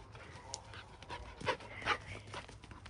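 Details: Shiba Inu play-wrestling with a mixed-breed dog, panting breaths broken by two brief strained whining yelps close together, over a low background hum.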